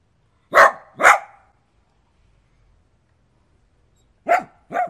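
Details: Indoors, probably a small room, a dog gives two hoarse, loud barks in quick succession, pauses about three seconds, then two more slightly shorter barks.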